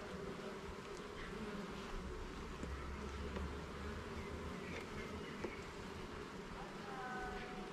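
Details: Honey bees at a garden hive during an inspection of its levels and frames: a dense, steady hum fills the low and middle range throughout, with a faint low drone and a few thin, higher chirping notes near the end.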